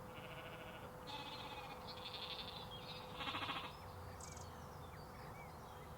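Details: Flock of sheep with lambs outdoors: a run of overlapping distant bleats, one louder and quavering, with birds twittering and a steady low hum in the background.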